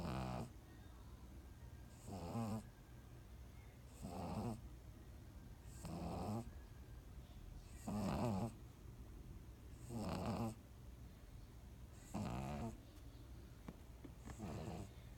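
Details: Beasley the pug asleep and snoring: rasping, fluttery breaths come in regular bursts about every two seconds, each a rough rattling inhale, with soft quiet gaps between them.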